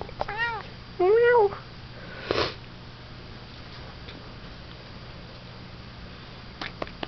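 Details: Domestic cat indoors gives short trilling chirps around half a second, then a louder rising-falling meow near one second, followed by a brief thump and a quiet room with faint hum.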